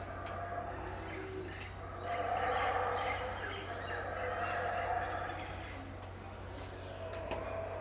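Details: Dawn chorus around 6am at Tikal, Guatemala, 2018, with unseen howler monkeys: a far-off rumbling roar swells for about a second, then eases, over a steady shrill insect drone and low background hum.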